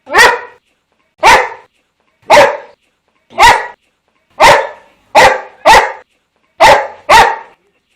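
A Boxer dog barks in loud, sharp single woofs, some spaced evenly and others in quick pairs.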